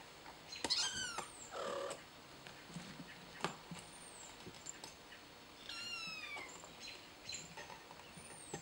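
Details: Kittens fighting: several high, thin meows and squeals with falling harmonic sweeps near the start and again around six seconds, plus short scuffling thumps and clicks over a steady background hiss.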